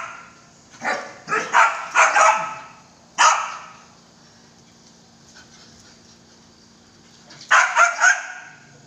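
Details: Belgian Malinois barking in two bursts: a string of four or five loud, harsh barks, a lone bark, a long pause, then three rapid barks close together near the end. A low hum runs throughout.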